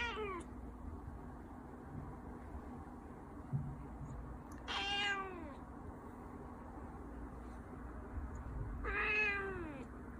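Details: Persian cat, indoors while eating, gives three drawn-out meows, each starting high and sliding down in pitch, spaced several seconds apart over a steady low room hum.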